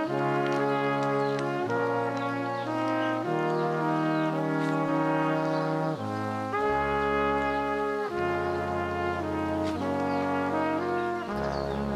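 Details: Brass instruments, trombone and trumpet-like tones, play a slow sequence of sustained chords with no animal voice audible.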